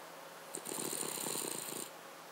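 A Cavalier King Charles Spaniel gives one fluttering, rattling snore with a thin, high whistle over it.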